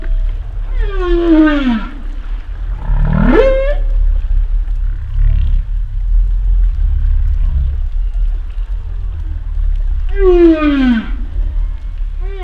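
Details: Humpback whale calling: a descending harmonic moan and a swooping upsweep, quieter low grunts and faint whistles in the middle, then the falling moan returns, repeating the phrase. Steady low-frequency water noise lies underneath.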